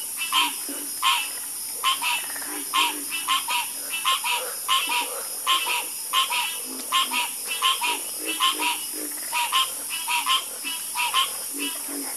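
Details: Loud, busy frog chorus: many bright croaks in rapid, overlapping runs, some doubled or tripled, over lower croaking and a continuous high-pitched hiss.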